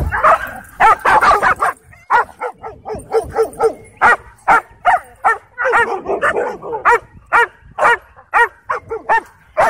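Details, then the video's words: Aggressive dogs in a dog park dogfight: a dense, frantic volley of high barks and yelps, about two per second and irregular, sustained across nearly ten seconds. "Dogfights & Aggressive Dogs The Worst Of The Dog Park"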